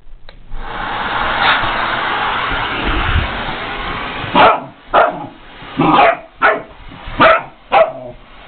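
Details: Pet puppy going crazy at a household vacuum cleaner: a steady vacuum roar fills the first four seconds, then it stops and six loud, sharp barks follow about half a second apart.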